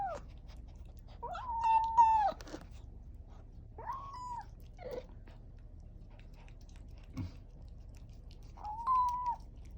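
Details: Young kitten eating wet food for the first time after weaning, giving drawn-out tonal mews that hold steady then fall, about four calls spread over ten seconds with quiet chewing and room noise between them.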